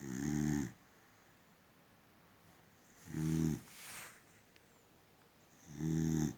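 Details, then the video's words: Boxer dog sleeping peacefully, snoring in a quiet room; three loud, low rasping snores with a buzzing, harmonic-rich tone, each lasting about half a second and spaced roughly every three seconds, with a softer breath between. "Funny sleeping boxer dog! Gorgeous snoring!"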